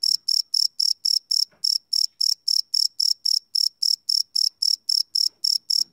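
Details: Crickets chirping at night, recorded live on a Sony PCM D100 field recorder: a loud, steady train of high, bright pulses, about four per second, with faint low rustles in the background.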